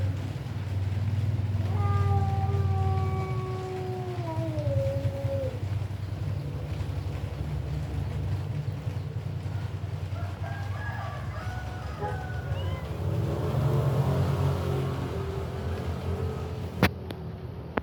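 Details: One-week-old kitten giving a long, drawn-out meow that slides slowly downward, then a few shorter, broken mewing calls later on, all over a steady low mechanical hum.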